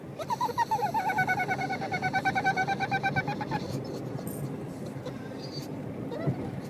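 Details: A pug riding in a car makes rapid, high-pitched squeaky whines like a dolphin's chatter, which it keeps up for the whole trip.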